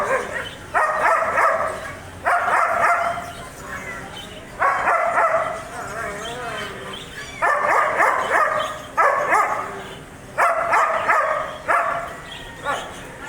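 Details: German Shepherd dog barking in loud, harsh bursts, often doubled, roughly every one and a half to two seconds, about eight bursts in all, with a wavering whine-like sound between them midway.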